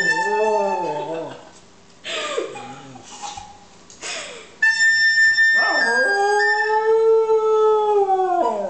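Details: Dog howling as a recorder is played, opening with a wavering howl, then voices and recorder tones, then a long rising-and-falling howl over the recorder.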